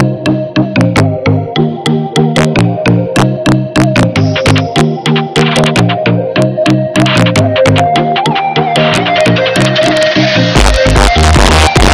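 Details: Electronic synthesizer music with repeated keyboard notes and a swelling final section, with no animal heard.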